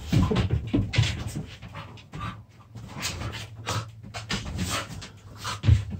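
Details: Puppies play-fighting produce rough, breathy growls and panting bursts in quick succession. Scuffling noises from the tussle fill the short gaps between them.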